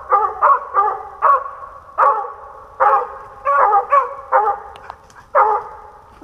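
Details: A hunting dog working squirrels in Pennsylvania during the 2021 season, day four, gives loud single and paired barks with short gaps and roughly one-second pauses between bursts.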